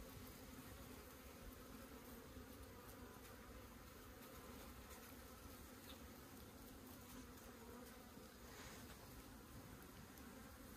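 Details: A low, continuous buzzing hum comes from honey bees swarming over an opened hive during a comb harvest on a hillside in Puning, Guangdong. The drone holds steady the whole time.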